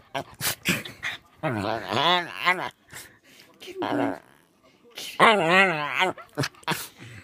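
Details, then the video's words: Westie puppy, first-place puppy champion in April 2015, making comical vocal noises indoors: wobbling, wavy whine-howls in two long bursts, separated by short clicks, sniffs and brief yelps. "West highland Terrier funny noises"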